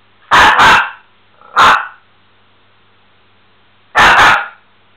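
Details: Miniature Pinscher named Bubi barking loudly indoors: a quick double bark, a single bark a second later, then another sharp double bark after a pause, with near silence between.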